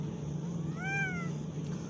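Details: Kitten giving a single short meow, rising then falling over about half a second, with bright clear overtones. A steady low hum runs underneath throughout.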